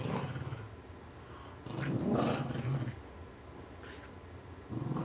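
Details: Puggle dogs Scarlett and Spike tugging a stuffing-less squirrel toy in an office; a sustained low growl swells in the middle, then fades, with another rumble starting at the end.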